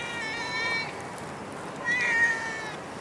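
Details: Two drawn-out meows from a stray cat in Singapore, the first level and the second rising and then falling, with a soft hiss of street background beneath.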